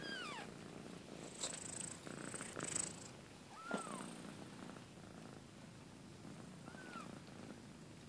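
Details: Kitten two weeks after birth, with a continuous low purr and three or four brief high mews that slide downward. A short hiss-like rustling sound appears near the start.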